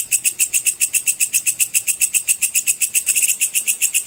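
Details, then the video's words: Belalang pedang cicir, a sword grasshopper, recorded for training competition birds: piercing high chirps pulse rapidly in an even train, close to four beats each second, with little else audible. "suara belalang pedang cicir full untuk masteran semua burung lomba"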